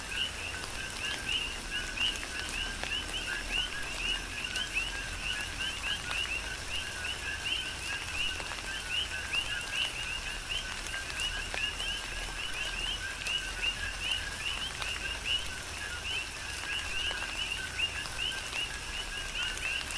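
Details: Big Island, Hawaii: a dense chorus of coqui frogs calling in tropical rain, their short rising chirps blending into a continuous layered band over steady rainfall and occasional raindrop ticks.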